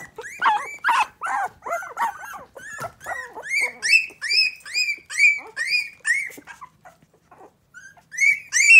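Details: Miniature Pinscher puppies aged three weeks finding their voices indoors; rough squeals give way to a run of clean, high arched whines about twice a second, then a pause and a final loud squeal.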